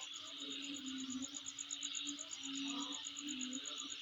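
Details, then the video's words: Continuous insect calling around a home: a sharp, rapidly repeated high trill layered over dense buzzing, with a few soft low hoots in the background. "Sound Of Insect In My Place"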